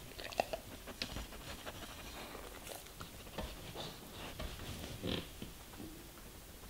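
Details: German Shepherd chewing vegetables and fruits in a small room; softer crunching and biting in short uneven bursts, one louder crunch just past five seconds, with a faint background hiss.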